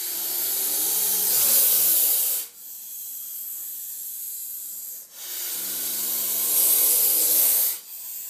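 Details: Gopher snake of four to five feet, found in a horse barn, hissing behind glass while attacking a cat toy, inflating its body as it breathes; long harsh airy hisses of about two seconds each, three in sequence with short pauses.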